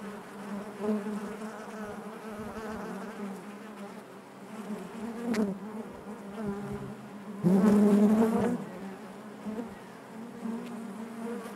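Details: Bees humming inside the hive in a constant low drone. A sudden louder, fuller surge of buzzing lasts about a second midway through before easing back to the steady hum.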